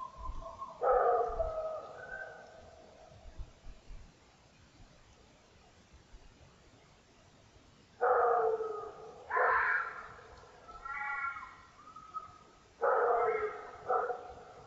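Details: A red fox, recorded by a camera trap during the rutting season, gives hoarse, wavering screams in short bursts separated by quiet pauses; it is not in distress.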